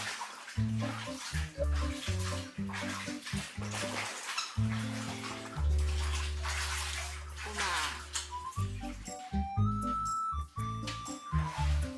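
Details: Music plays over running and splashing bath water, with brief speech and no animal voices.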